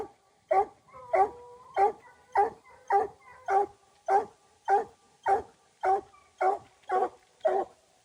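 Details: Hunting dog on a raccoon hunt giving a steady run of loud barks, about fifteen in eight seconds, evenly spaced and strongly voiced, each bark a short harmonic burst with nothing else audible behind it.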